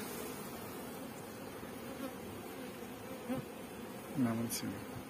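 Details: Honey bees kept on a bee farm in Pakistan, a dense, steady low droning hum from many insects, with brief voices breaking in near the end.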